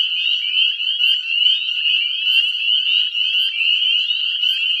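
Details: Deafening spring chorus of breeding Northern spring peeper frogs in a regrowing woodland lot; dense high whistled peeps, each sliding upward, pulse and swell continuously, roughly two distinct peeps per second standing out from the mass.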